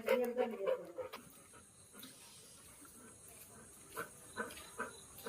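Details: Labrador Retriever dog frightened after its owner's father picked up a stick. A high, whining whimper slides downward through the first second. Then come quieter clicks, shuffling and a few soft voices.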